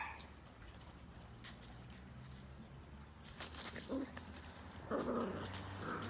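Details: Cavalier King Charles Spaniel, a companion dog at a breeder's home in a small village in the Sierra de Madrid, Spain, gives two short, tonal, whining yelps near the end, over a low steady hum and faint clicks.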